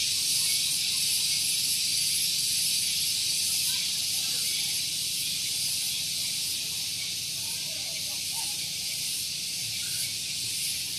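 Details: Very loud cicada song on a morning in Gunung Geulis, Bogor, West Java, near a parking area. The insects keep up an unbroken, hissing, high buzz with a regular rapid pulse, while scattered faint sounds lie underneath.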